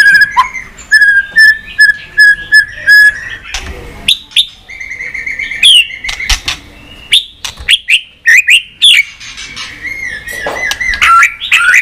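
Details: White-rumped shama song for stimulating pet shamas: a steady series of repeated short whistled notes, followed by varied loud whistles, sharp clicks and rising phrases.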